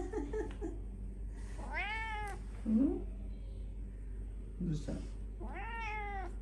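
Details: Pet cat indoors meowing twice, each call a clear arched mew about a second long, separated by a pause, with quiet human speech and small room noises between.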